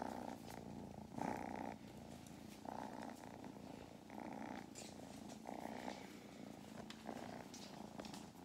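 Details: Two kittens on a lap purring loudly, a steady low rumble that swells with each breath, on a farm in County Kilkenny, Ireland, while a person talks to them.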